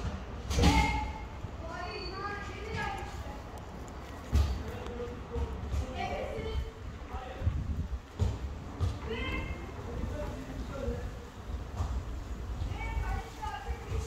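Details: Street tabby cat with beautiful hair, a little angry, giving a series of short, arched, harmonic meows spread across the recording, mixed with human voices talking nearby and occasional bumps outdoors.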